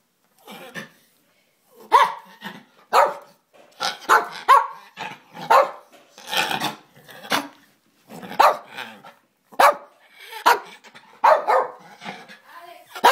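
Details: Pet dog barking, with a trachea issue suspected. Harsh, raspy, somewhat hoarse barks come in short irregular bursts, often paired, about fifteen over thirteen seconds, with brief pauses between bursts and no other clear sounds.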